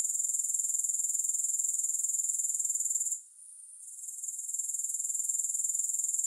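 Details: Grasshoppers in a steady, high-pitched shrill chirring, pulsing about four times a second, with a brief dip where the sound drops away and then swells back in. No music.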